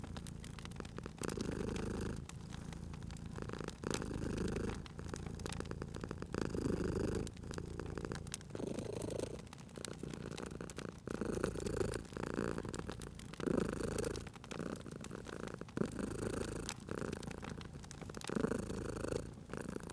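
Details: Cozy spring fireside scene: a sleeping domestic cat purrs in a low continuous rumble that pulses with each breath every two to three seconds, while a crackling fire snaps and pops.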